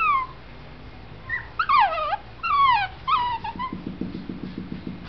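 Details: Whining male Shih Tzu puppy born in November 2011, kennel-raised in Brazil: several thin, falling whistled whimpers, some wavering, then a low rapid pulsing rumble toward the end, indoors.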